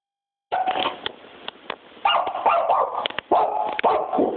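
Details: A puppy barking indoors: sharp, rough barks in uneven bursts, with short gaps of quiet between volleys and a few higher yelps mixed in.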